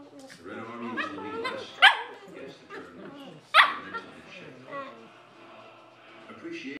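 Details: Two Cavalier King Charles Spaniels play with each other, chattering in odd, monkey-like squeals and grumbles, with two sharper yelps standing out.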